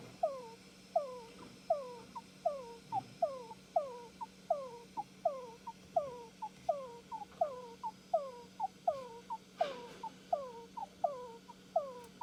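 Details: Pet Djungarian hamster making odd calls while asleep, possibly sleep-talking: soft, downward-sliding squeaks, often paired, repeated steadily about every three-quarters of a second over a low constant hum.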